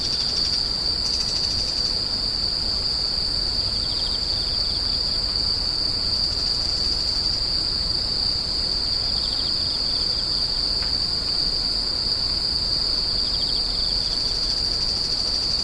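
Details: A constant high-pitched insect drone, an unbroken shrill ringing trill, with a softer second insect adding faint pulsed chirping at times and a dull low background hum.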